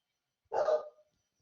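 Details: Single loud bark from a pet dog in the background during an online class, sharp and abrupt, lasting about half a second in an otherwise quiet room.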